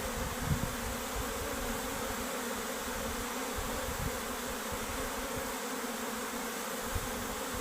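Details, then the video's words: Honey bee workers leaving their beehive, a steady dense buzzing drone with a faint band near the low-middle range, continuous throughout with slight low thumps and no other clear sounds. "Honey be left their beehive"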